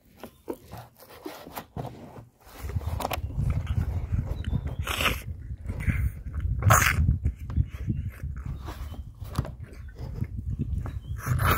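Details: Baby rhino, a male calf, drinking milk at a feed and enjoying it; wet, irregular slurping and sucking noises, rapid low rumbling smacks from about two seconds on, with occasional brighter sucking bursts.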